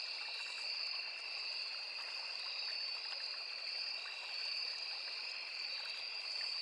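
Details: Night-forest style insect chorus of crickets and cicadas beside a small river: an unbroken high trill on two pitches, slightly wavering in strength, over a steady trickling stream.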